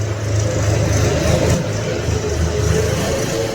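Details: Loud, steady roar of road traffic and a revving engine outdoors in an urban setting, with faint voices underneath.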